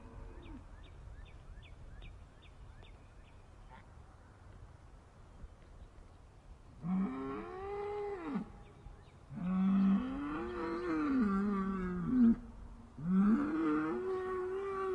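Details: Sad, upset cows: quiet at first with faint ticking chirps, then a series of loud moos that rise and fall in arched tones, coming in quick succession and overlapping near the end.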